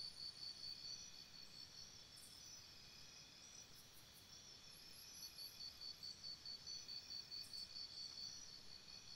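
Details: Crickets chirping at night by a campsite, a dense chorus of high pulsed trills in rapid regular bursts about 140 per minute, with a steady insect hiss and faint higher buzzing layered above.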